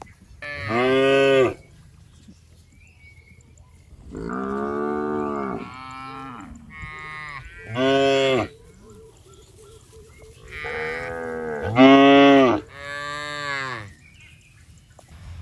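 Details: Tame, fat cattle roaming a rice field while eating grass; six harmonic-rich moos of varying length, some rising then falling, about every two to three seconds, with faint background noise between calls.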